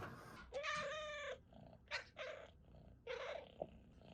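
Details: House cat making repeated chirps: a long trilled chirp followed by two shorter ones, each a rich harmonic stack with a steady pitch, over faint room noise.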